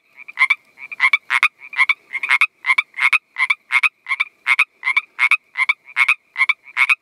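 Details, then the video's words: Pacific treefrog giving a fast, steady series of short raspy two-note croaks, roughly two to three each second, loud and clear over a quiet background. "Pacific Treefrog Calling"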